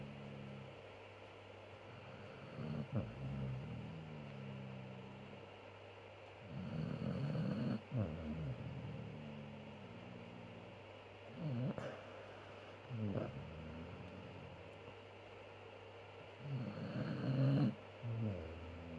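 A Basset Hound snores in deep, rumbling bursts that come and go irregularly.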